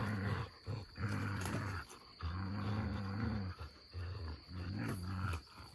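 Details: Two dogs, an Australian Shepherd and a Malamute, growling while play-fighting; low, rumbling growls in long sustained bursts separated by brief pauses, throaty and continuous, with no other clear sounds.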